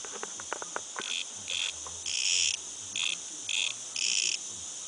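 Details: Cicada calling outside a house: loud, hissing high buzzes in bursts of about a quarter to half a second, several in a row after a few sharp clicks, over a steady faint high drone and low rumbling.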